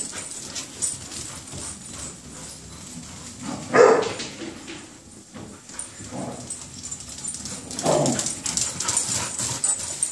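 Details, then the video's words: Playing German Shepherd puppy and wheaten Terrier: a sharp single yip near the middle, then a rougher short vocal burst later, set against steady scuffling noise of the play. "Puppies playing"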